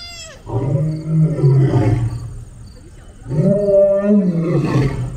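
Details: Lion roaring while meeting another lion: two long, deep, harmonic roars, each about one and a half seconds, separated by a short quieter pause.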